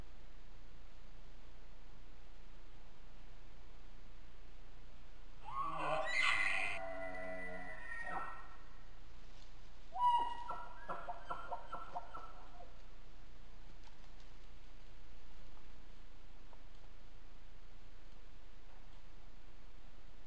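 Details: A bull elk bugles in fall on public land, caught on a trail camera: a high whistling squeal that falls into deep grunts, followed by a burst of chuckles.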